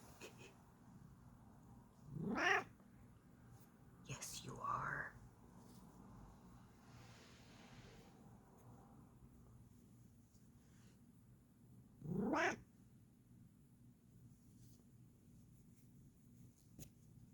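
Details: Bengal cat being relaxed, giving three drawn-out rising calls, two close together early and one later, separated by quiet room tone with a soft low hum.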